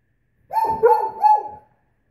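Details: Great Pyrenees female protesting nail polish with one drawn-out, wavering, mid-pitched howl lasting just over a second, the tone dipping and rising twice before trailing off into silence.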